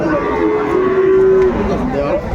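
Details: Sahiwal bull at a cattle market in Noakhali, Bangladesh: a long, steady low moo lasting over a second, with loud crowd chatter and bargaining voices all around.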